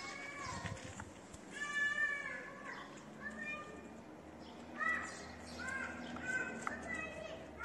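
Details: Homeless street cats meowing: a run of short meows, some with a rising then falling pitch, spaced a second or two apart, mixed with human voices nearby.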